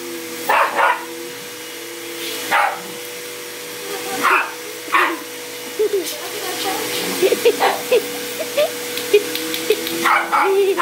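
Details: Domestic dog barking at a vacuum cleaner: loud single barks spaced a few seconds apart, then softer yelps and whines, all over the constant tonal hum of the running vacuum.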